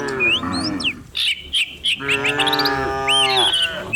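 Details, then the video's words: Cattle driven downhill through village countryside in the morning: a bellowing moo fades, then after a brief gap a long, even low moo holds for nearly two seconds amid busy bird chirping and twittering overhead. "Herding dozens of cows down the hill every morning, cow sounds"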